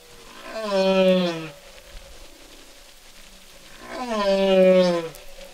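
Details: Song of a single humpback whale: two long moaning units about three seconds apart, each a rich harmonic tone that rises slightly and then slides downward, separated by quiet water-filled gaps.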